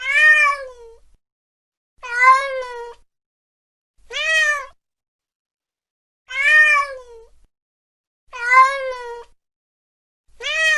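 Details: Repeated meowing from a cat chasing a mouse late at night: six short, arched meows roughly every two seconds, each bright and harmonic and dropping at the end.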